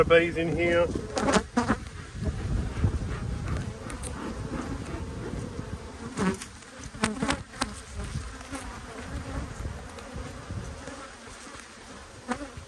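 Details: Honey bees in one of two strong hives inspected in Australia on 5 February 2022, when food was scarce. A few spoken words open the recording, then a soft, low, continuous hum carries on with scattered light clicks of handling.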